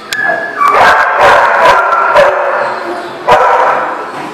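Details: Dog at a barking lot, dated 5/11/18, giving loud harsh barks run together with a drawn, strained yelp at the start and a sharp final bark after a short pause.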